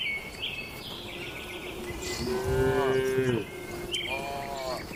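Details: Tame cattle inside a farm barn during their daily routine: one drawn-out, tonal moo in the middle, flanked by shorter, higher calls at the start and end over a steady low barn hum.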